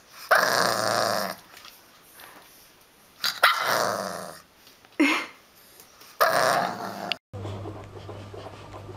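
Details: Bulldog puppy giving three long, harsh, noisy growl-barks of about a second each, spaced a couple of seconds apart, followed by a shorter yelp, then a low background hum.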